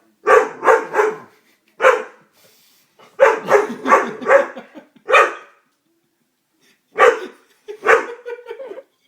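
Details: Frightened Doberman reacting to a prank gives sharp barks, some in quick triplets and others single, spaced irregularly with silent gaps between them.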